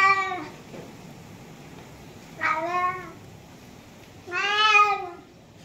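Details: Meows from a tabby cat: three clear, nasal, slightly rising-then-falling cries about two seconds apart, the last one longest and loudest, in a quiet indoor setting.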